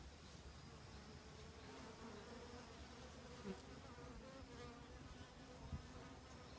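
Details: Autumn honey bees hurrying to gather winter stores; a dense, even buzzing drone of several bees, low and humming, with a couple of soft taps near the middle and end.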